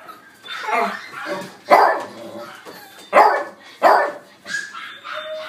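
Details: Young male white-and-black mixed-breed dog born December 2018, barking in short bursts roughly every second, each bark a harsh broadband yap, with a human voice audible between barks.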